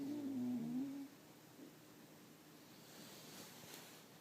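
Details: A sleeping dog named Samson, snoring indoors with a strange sound. A wavering, hum-like whistle with soft buzzy undertones lasts about a second, then fades to room quiet.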